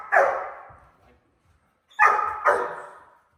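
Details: A five-month-old German Shepherd pup in bark-on-command training barks before being cued: one sharp bark, then after a pause two quick barks about half a second apart, each clear and mid-pitched with a fading tail.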